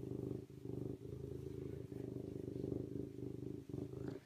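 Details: Serval with a deep, steady purr, rough rumbling texture in short runs separated by quick breaks about every half second to one second.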